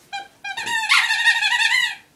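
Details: Border Collie Lola searching for her chicken: two short high whimpers, then a longer wavering, slightly rising whine of about a second and a half, clear and close in a quiet room.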